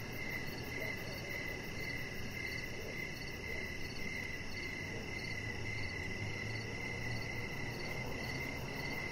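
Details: Evening cricket chorus by a deck: bright rapid trilling pulses overlapped by a higher chirp recurring about twice a second, with a faint low hum in the background.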